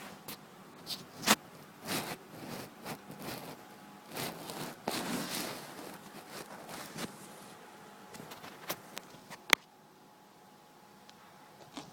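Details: Scattered clicks, scrapes and taps indoors with a faint steady hum, no animal voice.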